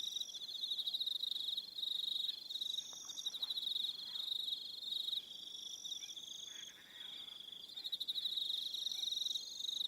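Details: Evening crickets on Aroha Island, New Zealand, in a dense chorus: high, steady pulsed trills layered at several pitches, overlapping continuously with brief dips in loudness, no other clear sounds.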